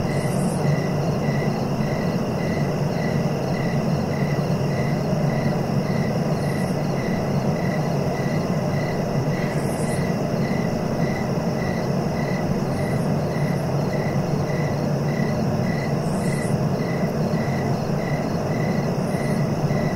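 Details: Crickets give a long, regular series of short chirps, roughly two per second, against a continuous high whine, occasional brief hissy bursts and a deep, constant rumbling noise.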